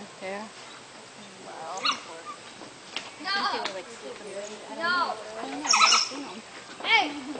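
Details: Three African wild dogs at Binder Park Zoo's Zuri National Park, fighting over a single chew toy, give high squeaky whining cries in scattered bursts, some rising and falling; people talk in between.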